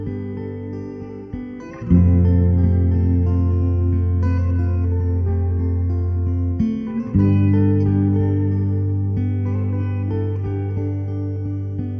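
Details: Plucked guitar music with sustained low notes and slide tones, and no animal voice.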